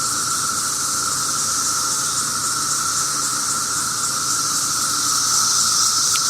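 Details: Seventeen-year periodical cicadas swarm a backyard holly tree, flying around and thought to be nearing the end of their cycle, droning in a dense chorus: a steady, unbroken whine over a bright hiss.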